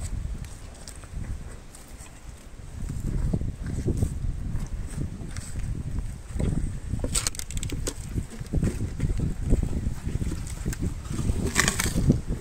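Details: Sugarcane being eaten by an elephant called Meri: rhythmic low chewing throughout, broken by sharp splintering cracks around seven and twelve seconds as stalks snap.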